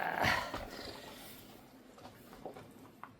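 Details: Hope (Huimangi), a rescued former stray kitten with a spinal injury, now a calm house cat, being bathed indoors: one short meow in the first half-second, then quiet dripping and rubbing sounds.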